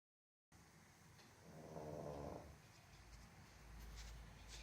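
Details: A Boston Terrier sound asleep gives a low, rumbling snore with a raspy, buzzing edge.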